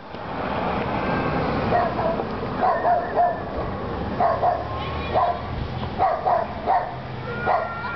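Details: Poodle barking in fear at a remote control truck: repeated short sharp barks, often in pairs, from about 1.7 seconds onward over a steady mechanical hum from the toy vehicle.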